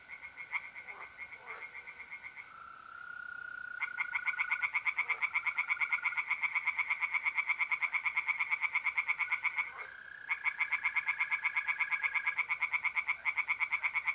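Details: Tree frogs singing in a pond on an April night in north-east Italy. Rapid, pulsed, rattling calls repeat about three times a second, stop briefly, then start again, over a long, steady, high trill from mole crickets.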